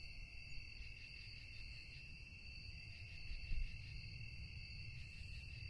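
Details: Night crickets hold a steady, shrill, high trill that flutters slightly. A dull low rumble lies beneath, and a brief louder thump comes near the middle.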